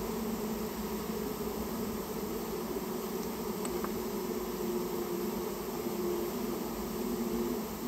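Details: Colony of Japanese honey bees nesting in a storehouse, recorded as it is removed: a constant humming drone with steady low and middle bands, a brief faint tick midway, and little else.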